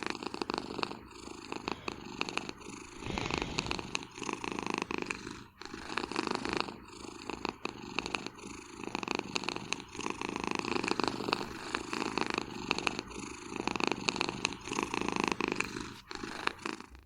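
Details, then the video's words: Cat taking a nap on a chair behind a desk indoors in Vancouver, snoring without pause: a long run of coarse, vibrating breaths in an even cycle of about one to one and a half seconds. "낮잠 즐기는 고양이의 코골이 장면."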